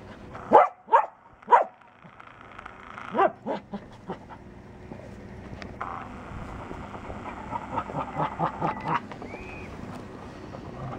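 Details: Dog lying around in the rain, entertaining himself before wanting attention; three sharp, loud barks in the first two seconds, a softer pair near three seconds, then a run of quieter yips late on over a steady patter of rain.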